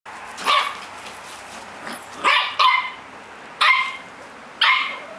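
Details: Puppies of mixed small breeds, a Havanese, a Cockapoo and a Shih-poo, at play together; sharp high yappy barks in short bursts, five spaced barks over about five seconds with quiet scuffling between.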